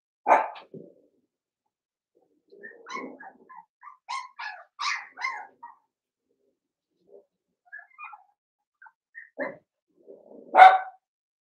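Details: Young blenheim Cavalier King Charles Spaniels in an indoor puppy pen, one of five littermates, letting out an opening bark, then irregular squeaky whines and yips, ending with a louder single bark.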